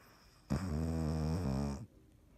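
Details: Dottie, a sleeping cat, recorded on 17 March 2019, gives a single low, buzzy snore lasting about a second and a half, a steady droning rasp with a slight wobble midway, then quiet.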